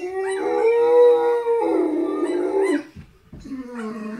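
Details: Howling harlequin Great Dane, prompted by videos of other dogs howling: a strong, level, mournful howl lasting almost three seconds, a brief break, then a lower, softer follow-up wail.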